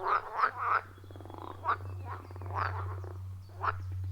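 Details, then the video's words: Chorus of frogs at a wild pond deep in a forest, recorded on an iPhone 14 Pro with a Shure MV88+: quick bursts of raspy croaks alternating with a low rattling buzz, set against a steady low drone. "30 Minutes of Frog Sounds at a Forest Pond"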